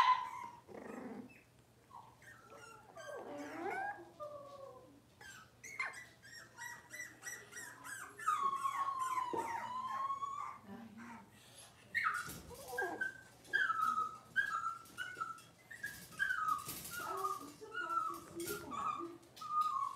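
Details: Cavalier King Charles Spaniel puppies, six weeks old, indoors during deworming and toenail trimming. Continuous overlapping high whimpers and squeals, wavering and sliding in pitch, several pups crying at once over a low steady hum.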